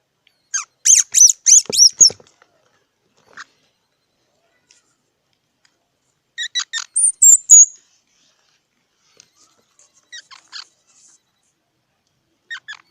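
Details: Squirrel calling with a quick run of shrill, stacked chirps, then a second cluster ending in a thin high whistle, followed by scattered faint squeaks in near silence.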